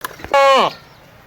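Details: A goat gives a single loud, nasal bleat lasting under half a second. It holds steady and then slides downward at the end, after a brief thump.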